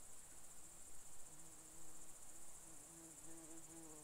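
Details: Red deer stag in the Czech Republic during the 2021 rut, drawn in by an imitated hind call: a low, drawn-out groaning roar with stacked tones that starts after a second and wavers on. A steady high insect hiss runs behind it.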